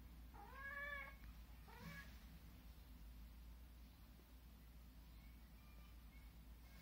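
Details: Cat in a playful 'fight' with a ladybug gives two faint meows: a first drawn-out, slightly arching one lasting about a second, then a shorter second meow, followed by quiet, with a steady low hum throughout.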